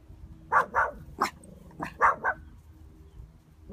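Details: Dogs being walked on a countryside hill bark at horses running over to greet them; a series of sharp barks in two loose bursts, several in quick succession, with faint outdoor background.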